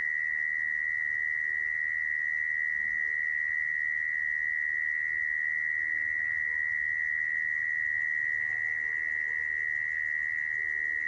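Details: Long steady churr of a mole cricket, a call played to trap crickets; the shrill, level buzz never breaks, with soft faint murmurs in the background.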